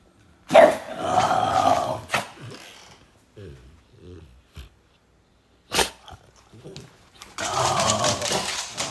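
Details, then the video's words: French Bulldog reacting to strange noises, giving two long, harsh, rasping outbursts of about a second and a half each, one near the start and one at the end, with soft snuffles and clicks in the quiet gap between. "That's what happens when the French bulldog Oleg hears strange noises"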